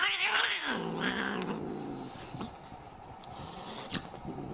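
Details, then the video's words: Angry cat gives a brief high wail that slides down into a long, low, throaty growl, fading toward the end, with faint scattered clicks. "Crazy angry cats so funny"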